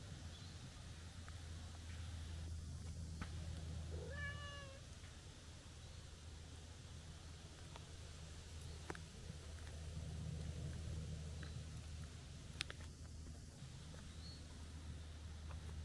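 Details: One brief rising-and-falling meow from a stray tortoiseshell cat coming out to greet someone, followed by mostly low rumbling hum, scattered clicks and light rustling.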